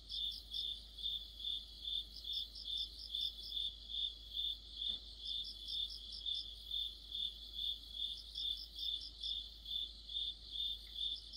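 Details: Autumn orchestra of crickets and other insects. One steady high chirp beats evenly, a little over two per second, while a second, sharper insect chimes in with repeated short bursts of rapid pulses.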